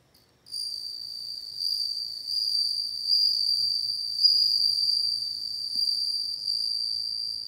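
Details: Steady, high, bell-like ringing of a bell cricket, beginning after a brief silence and carrying on unbroken with gentle swells in loudness.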